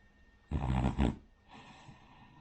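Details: Rin, a Cavalier King Charles Spaniel, snores in her sleep like a pug or bulldog; two loud, rough snorting breaths in quick succession, then a softer exhale.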